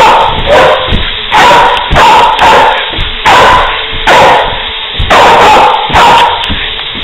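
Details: Wheaten Terrier chasing its owner around a recliner in an excited play fit indoors; loud, sharp barks repeated roughly every half second to second throughout, with brief yips between them.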